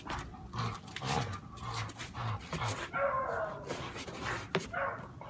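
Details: Indigo, a dog in training for aggression toward other dogs, gives short broadband bursts and a few high, thin whining tones near the middle, with a trainer's quiet praise and rustling around it.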